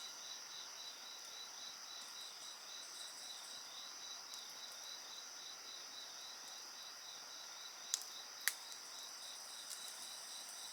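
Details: Dense insect chorus of steady high trills, one band pulsing in rapid regular beats, while a crackling bonfire adds a couple of loud pops.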